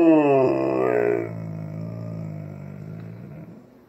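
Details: Indoor Alaskan Malamute asking for breakfast with a soft indoor voice: a brief falling, grumbling moan during the first second, then a low steady groan, while a person talks to it about breakfast.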